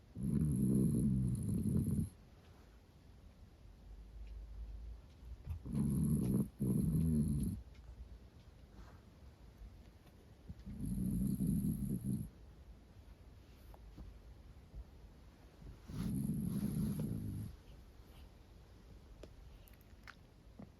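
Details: Snoring of Roro, a female Miniature Dachshund born 2010, sleeping comfortably indoors: four long, low rasping snores at roughly five-second intervals, each about one and a half seconds, with quiet breathing between.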